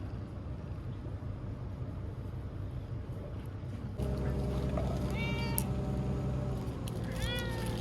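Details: Ear-tipped TNR cat Chanta, formerly Nyaa, sheltered in a bathroom from Typhoon No. 10, September 2020, crying while caught; after four seconds of background noise, a louder stretch brings several short meows near the end.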